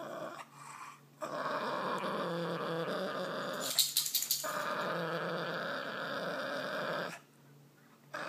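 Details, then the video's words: A grumpy Boston Terrier growls in long, rough, droning bursts lasting several seconds, broken by short silent gaps, with a brief scrape or clatter near the middle; indoors, no other voices. "Grumpy Boston Terrier"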